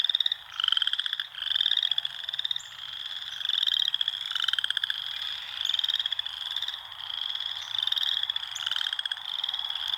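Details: Several frogs in a natural setting produce dense, high-pitched pulsed trills, bursts following one another about every second, some overlapping, forming a continuous rattling chorus.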